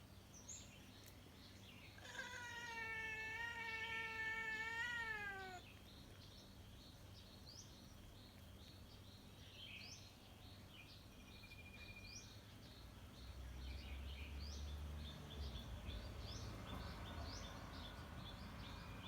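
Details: Cat gives a single long, drawn-out meow of about three seconds, steady then slightly falling at the end. Faint high bird chirps and a low hum run through the background.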